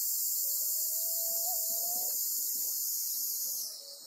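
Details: Golden-web spider holding a black cicada on Amami Oshima, Japan: steady piercing high buzz that suddenly weakens and fades near the end, with a soft low tone wavering beneath it early on.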